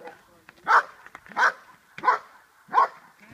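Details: Schutzhund 1 hold and bark by the dog Che: four forceful barks spaced about 0.7 seconds apart, short and rough, with light background sound in between.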